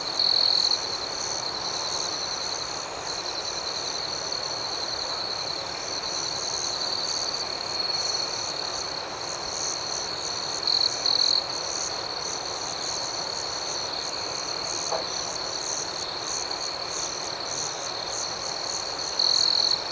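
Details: Crickets chirping through a serene night, an unbroken high ringing chorus with soft pulsed notes above, short louder trill bursts at the start, midway and at the end.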